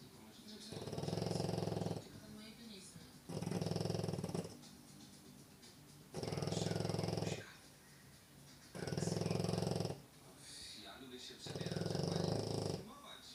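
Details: A French Bulldog snores steadily in its sleep indoors: five rumbling, rattling snores, each about a second and a half long, recurring roughly every two and a half seconds with quiet breaths between.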